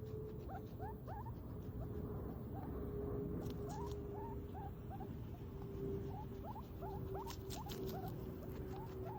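A guinea pig squeaks repeatedly, each note a brief rising chirp, sometimes paired or in short runs. A constant low rumble and a faint steady tone run underneath.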